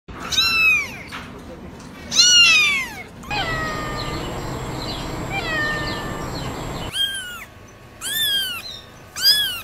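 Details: Domestic cat giving loud, high meows that bend down in pitch, two at the start and three near the end, with a stretch of steady, noisy background sound between them.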